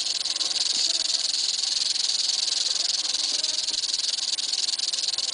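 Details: Eastern diamondback rattlesnake rattling: a steady, dry, high-pitched buzzing hiss that runs unbroken through the whole stretch at an even loudness, with no other sounds standing out.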